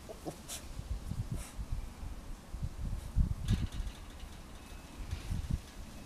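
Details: Ted, an excited Rottweiler puppy, meeting the household rabbit for the first time indoors. Irregular low, rough growls and grumbles with a few short, higher yips scattered through, recorded close up.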